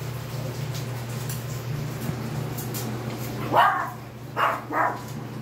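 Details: Bichon Frise puppies one day old in a litter; three short high squeaks in a quick burst near the end, over a steady low hum.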